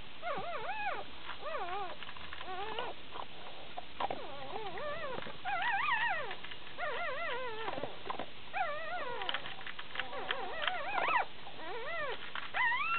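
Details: Six one-day-old Shiba Inu pups born 13 June 2010 in Belgium, drinking and making noises: many overlapping high whimpers and squeals, arching up and down in pitch, continuous throughout with faint suckling sounds.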